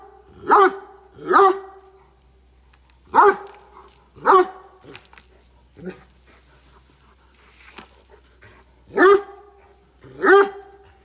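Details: Rana the Great Dane, at a farm in Karnataka's Chikkamagaluru with a Mudhol Hound companion, barks aggressively: loud, abrupt woofs in irregular bursts, pairs and singles separated by short pauses, a few quieter barks between, over a low constant hum.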